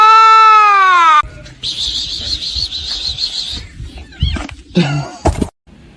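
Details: Kitten crying: a loud, clear meow that slides downward and lasts just over a second. It is followed by a buzzy hiss-like noise, scattered clatter and brief voices.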